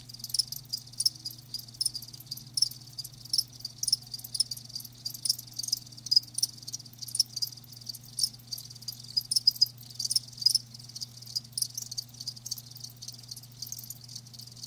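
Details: A steady wash of shrill cricket chirping, with many live crickets calling together in fast irregular pulses and a few louder bursts, backed by a faint low hum.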